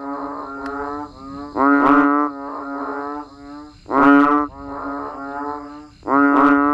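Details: Banded bullfrogs and frogs calling in the rain outdoors, with droning, nasal, horn-like calls in overlapping series, loud notes roughly every two seconds trailed by quieter echoing calls from other frogs.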